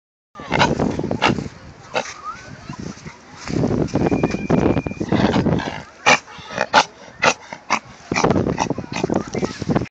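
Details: Pet dog making pig-like grunting and snorting noises, a series of rough broadband bursts and snuffles with brief pauses, some sharper squeaky snorts near the middle, over low indoor rumble.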